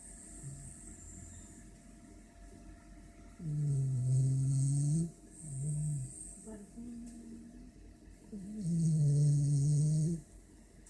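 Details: A French Bulldog snores after eating and a shower, in low, rumbling, harmonic-rich breaths each lasting one to two seconds.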